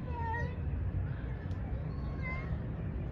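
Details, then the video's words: Male cat calling females for mating: faint, wavering, drawn-out meows with rich harmonics at the start and again near the middle, over a steady low rumble of background noise. "He is calling females for mating"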